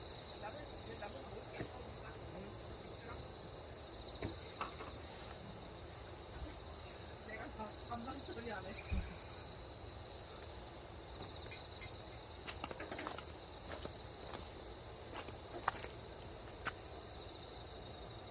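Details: Grass insects at a camping spot in Korea make a continuous shrill high trill. Scattered clicks, taps and handling noises sound over a low background rumble.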